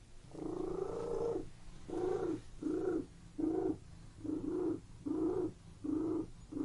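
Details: Domestic cat purring in a room with a quicker rhythm, short rumbling bursts about half a second long repeating roughly every eight-tenths of a second, the first one longer, between near-silent gaps.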